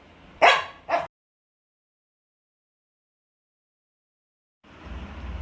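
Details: Roxy, a male pet dog, barking because a cat has come outside: two sharp, loud barks in quick succession, then silence and a low background rumble.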